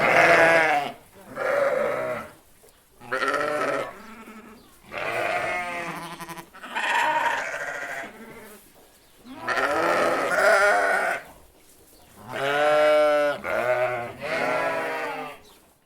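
Several sheep bleat in turn, wavering nasal baas repeated every second or two.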